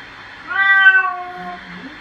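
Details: During a bath, a domestic cat lets out one clear, drawn-out meow that swells then tapers and falls, followed by a soft low murmur, against a steady background hiss.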